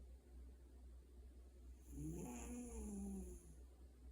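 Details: Pet cat asleep at home, snoring: a single drawn-out wavering low rasp lasting about a second and a half, with a steady low hum underneath.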